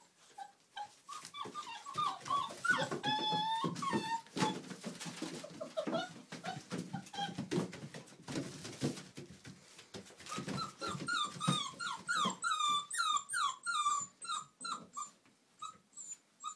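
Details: Millie's girls, Old English Sheepdog puppies at Haverlands, play indoors with steady scuffling and thumps, scattered whimpers and short growls, then a long run of rapid rising-and-falling squeaky yips near the end.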